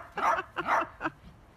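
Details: Playful miniature dachshund giving three short yapping barks in quick succession, the last one briefer, over a quiet background.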